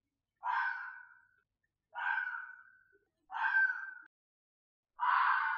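A red fox gives harsh, hoarse screams, each about a second long, repeated at irregular intervals.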